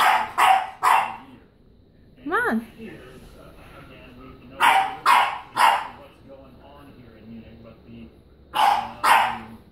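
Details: A French bulldog barking at a stuffed toy donkey gives short, sharp barks in quick pairs and triplets, with a person talking in between.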